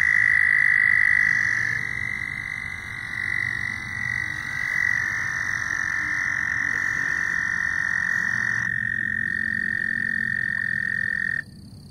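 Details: Chorus of loud frogs: sustained, even, high-pitched trills overlap and run on with barely a break, then stop abruptly, over faint low background noise.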